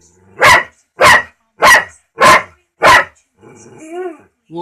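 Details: Dog named Mike barking at a talking cat: five loud, evenly spaced sharp barks about every 0.6 seconds, followed by a short whine and a man's voice.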